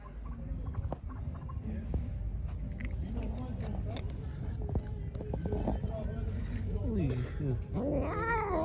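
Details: Pregnant stray cat, hungry and angry, near the person who fed it: low murmurs, then two or three drawn-out wavering meows toward the end, over a steady background hum and some clatter.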